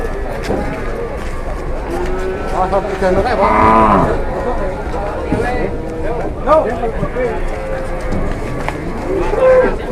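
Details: Cattle on an Indonesian farm after a cow collapsed and grew aggressive: a wavering moo near three to four seconds amid overlapping human voices and shouting, with short bellow-like sounds later and a noisy background.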